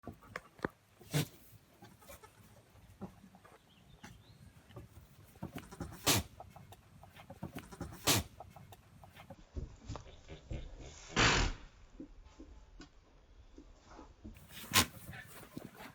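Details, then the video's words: Domestic goats, a kid and its mother, both having sneezes; the kid walks up to sneeze in its mother's face. Several short, explosive, breathy bursts stand out over steady rustling background noise, with one longer, louder snort near the end. "Goat Sneezes"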